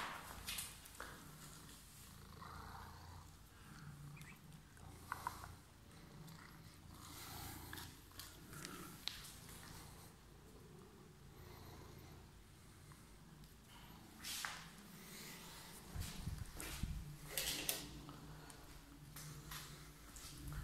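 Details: A cat with emerald eyes, described as waiting for someone, purrs in a low continuous rumble that rises and falls with its breathing, broken by scattered clicks and brushing noises.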